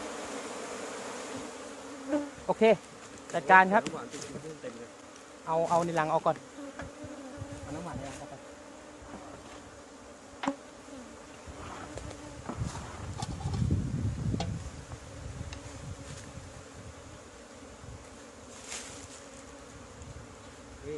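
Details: Asian honey bees (Thai cavity-nesting bees) at an old hive during the year's first honey harvest in Thailand, 2020; the queen had moved away. A steady droning hum runs throughout, with brief bursts of nearby talking and handling noises.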